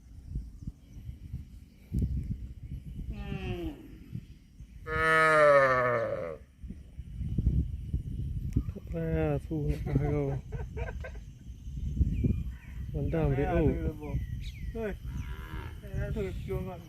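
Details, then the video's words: Cattle mooing repeatedly in a farm setting, one long loud harmonic moo followed by several shorter wavering calls, with people talking and general background noise between the calls. "CUTE AND FUNNY COW SOUND VIDEOS COMPILATION"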